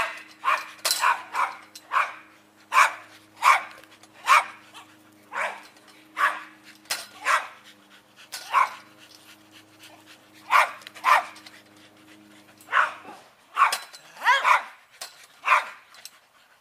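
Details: Rat Terriers playing tether ball, barking excitedly in quick, sharp, repeated yaps through most of the stretch, roughly one to two barks a second, with a steady low hum beneath.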